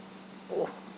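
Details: Izzi-Wink, called Winky, a female rescue house cat that likes to talk and be petted, gives one short, low, throaty chirp that swells and fades within a fifth of a second over a steady electrical hum, with a woman talking to her just before and after.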